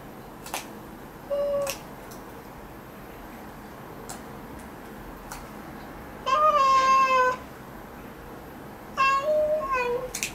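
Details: Domestic cat meowing while its claws are trimmed indoors: one short meow early, then two longer, tonal, slightly falling meows about a second each near the end, with scattered sharp clicks between them.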